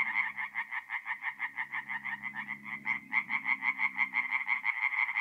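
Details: Night song of tree frogs at a forest pond, north-east Italy, mid-April: evenly spaced rapid croaks, roughly three a second, steady and loud, faint low droning underneath.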